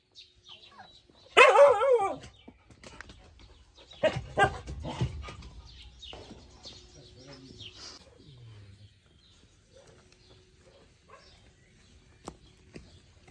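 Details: Laika puppy letting out one loud, wavering, high-pitched yelp lasting about half a second, followed by scuffling and bumping noises and then a long quiet stretch with faint clicks.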